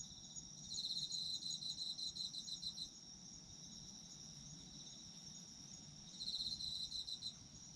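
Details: Autumn insects singing for sleep: a loud rapid chirping trill for about two seconds, a stretch of only the steady high drone, then the pulsed trill resumes near six seconds.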